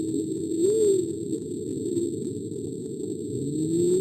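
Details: A humpback whale, recorded underwater off the coast of Alaska in 1999, gives low, moaning tones that swoop up and fall back over a steady underwater hiss.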